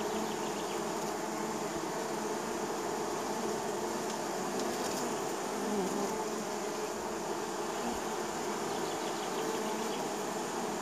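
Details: Honey bees from a neighbour's hives buzzing around the hive landing area in spring: a dense, steady swarm hum with layered droning tones and brief closer fly-bys rising above the continuous drone.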